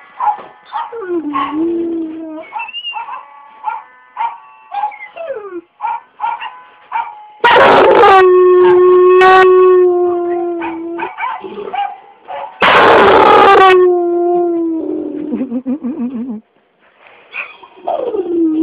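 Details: An 8-year-old red nose Pit Bull and Bullmastiff mix dog howls along to Happy Birthday, with long wavering tones sliding up and down between shorter yips, plus bursts of applause and music.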